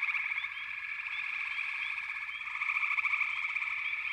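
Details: Frogs calling together in a thick, buzzing wall of rapid pulsed trills, with quick rising chirps scattered over the top and the mass growing stronger toward the end.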